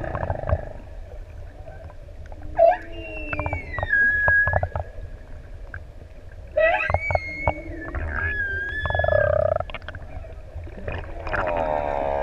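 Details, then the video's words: Humpback whales, six adults playing in deep open sea off ʻEua island, Tonga, singing as swimmers approach; long sweeping whistled moans rising and falling, with rich harmonic tones, upsweeps and low rumbling pulses. "Incredible up-close footage of singing humpback whales"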